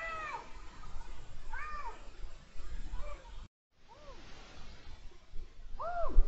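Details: Rutting male Iberian lynx, January 2022, calling a series of shorter arched meows, some fainter, with a brief silent break midway and a louder final meow, low rumbling noise beneath.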